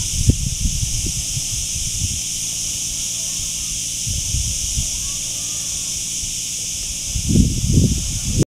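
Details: Chicharras, or cicadas, sending out a steady, shrill, high buzzing drone that never breaks from start to end, while people talk in short bursts underneath.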